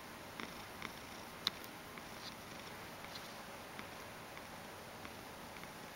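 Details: Mojio, a spoiled Ragdoll cat who likes having his belly and neck stroked, purrs to be petted: a soft, steady low purr with faint clicks and light rustles.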